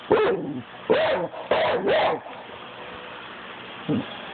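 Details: Pit bull barking for no reason; four sharp, harsh barks within the first two seconds, a pause filled with low background hum, then a single quieter bark near the end.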